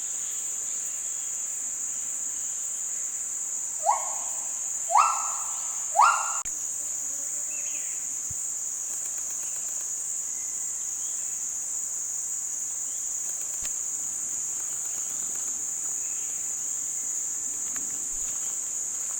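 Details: Gibbon calling in Kaeng Krachan National Park, Thailand, part of a forest complex that is a UNESCO World Heritage Site: three short, rising whooping notes with harmonics come in quick succession midway, over a constant shrill insect drone and faint distant calls.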